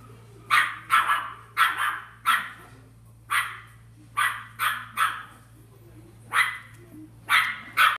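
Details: Corgi at a pet shop barking in a rapid series, about a dozen sharp, bright barks in eight seconds, coming in pairs and short bursts with brief quiet gaps between, over a low steady hum.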